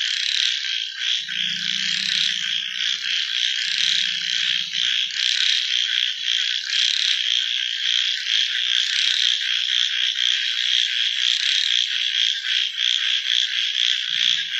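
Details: A nighttime frog chorus of constant high, rapid pulsing, joined early on by two short, low, droning croaks and another low croak at the very end.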